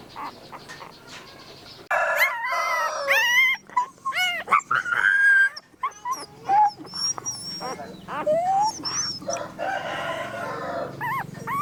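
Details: Puppies heard in a busy chorus of short, overlapping whines and yelps, some rising and some falling, with louder bursts from about two seconds in and a quieter harsh stretch near the end.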